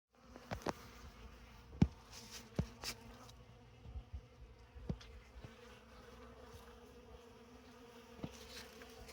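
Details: Honey bees at an open winter feeding station about 150 ft from their hive on December 6. They are feeding on leftover honey among oak leaves and fresh comb in a tote. A faint, low, steady hum carries scattered sharp clicks and taps.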